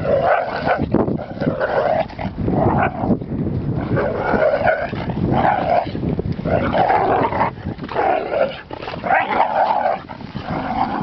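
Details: Pinscher barking repeatedly in short harsh bursts, roughly one to two per second, with a few growly notes; the barks keep coming steadily through the recording.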